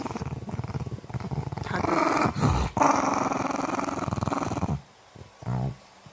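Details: An 11-year-old female Maltese weighing 7.8 kg, drowsy and half-asleep at home, gives a low rumbling growl that runs steadily for about five seconds in rapid pulses, then stops, followed by one short, softer rumble.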